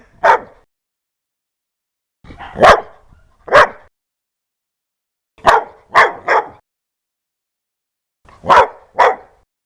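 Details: A dog barks ferociously and loud, harsh yaps delivered singly, in pairs and in a three-bark burst, with roughly second-long silences between groups.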